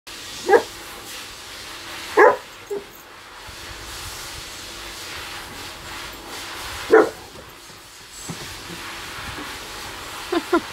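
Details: Kangal puppy testing the patience of a Saint Bernard: short sharp barks at irregular intervals, about five bursts with a pair at the end, over a steady low background hum.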